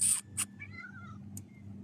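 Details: A cat among three greets its owner home from duty in Qatar and begs for food. A single soft, drawn-out meow slides downward, with quiet clicks before it and steady low room hum.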